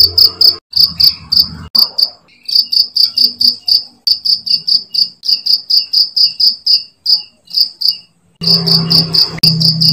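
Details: Cricket chirps used to train songbirds: high, ringing pulsed chirps in irregular runs, with some low background noise and rumble at the beginning and end.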